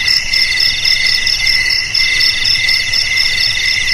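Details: Short burst of cricket song: shrill, high-pitched pulsed chirping from several insects together, repeating at an even beat of about two per second.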